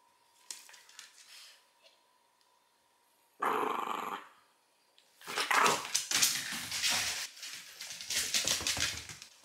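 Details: Small female Shiba Inu, three years old, kept as a pet in Fukuoka, Japan: a sudden loud bark burst, a pause, then a long run of rapid, rough, growling barks.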